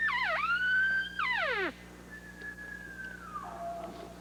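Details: During an elk hunt among aspen trees in New Mexico or Colorado, a bull elk bugles: a high whistle that climbs, holds, then breaks into falling, chuckling notes.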